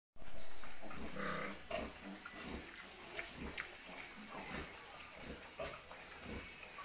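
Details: Newborn piglets learning to suckle on a pig farm; soft low grunts and brief squeaky bursts scattered through, with faint rustling and background hum.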